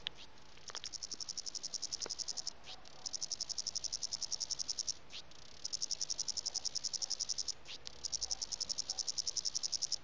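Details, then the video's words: Cicadas calling mates or competing in a garden in the Western Cape, South Africa, on a hot January summer day at 40°C; a high, rapidly pulsed buzzing trill in bursts of about two seconds separated by short pauses. "Cicada making noise in my garden (Calling mate)"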